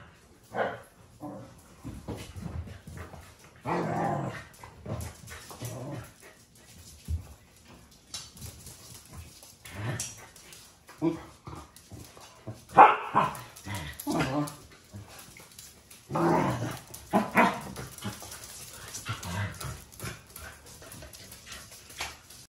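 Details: Four Welsh Corgis in a noisy home, three males and a female born in 2017 and 2019, bark and growl in short, irregular bursts, sometimes overlapping, in a small indoor room.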